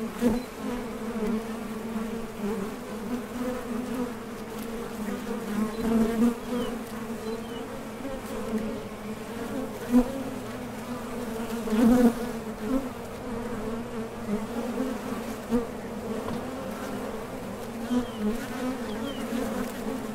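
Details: Continuous low drone of many honey bees at a top bar hive entrance as foragers depart and land, with occasional louder surges when single bees pass near.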